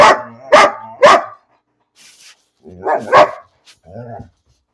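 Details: Three quick sharp barks from a dog called Bean, barking for no reason, then a pause, a fourth bark and a short, low, whiny groan at the end.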